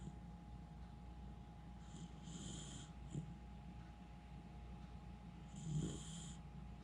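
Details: Miniature Schnauzer named Jiji, fast asleep indoors and not waking: low rumbling snores with two airy hissing breaths near two and six seconds over a steady hum.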